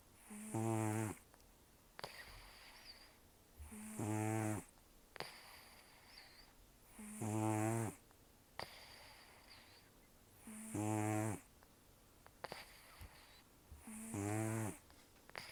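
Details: Taro, a rescued elderly cat taken in October 2024, heavy breathing through the nose during sleep: steady rattling snores about eighteen per minute, each rough intake followed by a hissing exhalation, room otherwise quiet.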